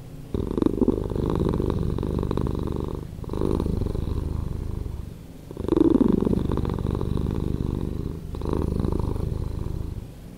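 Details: Domestic cat purring, slowed down by editing: a deep, continuous rumbling throb in long, even stretches, with brief dips between breaths near the third, fifth and eighth seconds.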